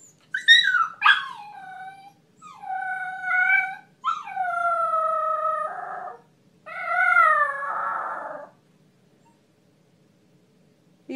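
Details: Siberian Husky howling on cue as its owner prompts it to sing happy birthday: a series of long tonal howls with clear harmonics, some rising, some falling, in separate phrases with short pauses between them.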